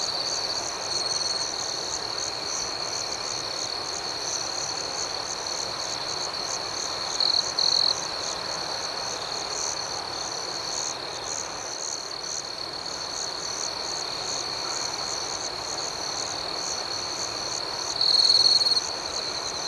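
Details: High, unbroken cricket trill at night over a quick pulsing chorus, with two brief louder chirping outbursts, one midway and one near the end.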